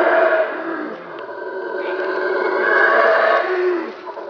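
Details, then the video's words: Black howler monkeys from two neighbouring troops at Caracol, Belize, calling at their shared territorial boundary in rain forest; continuous hoarse roaring chorus, loud at the start, dipping, then swelling again. "Howler monkeys at Caracol"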